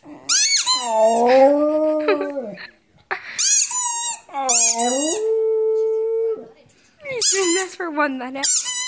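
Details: Pet dog howling in long wavering notes, each lasting one to three seconds with pitch dipping and rising, separated by short breaths, ending with higher squeaky whines.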